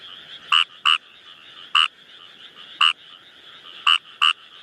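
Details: Wild Kawamura's rice frog calling in a frog-rich spot: short, harsh croaks, often in pairs about half a second apart, repeated roughly every second, over a steady high trilling chorus in the background.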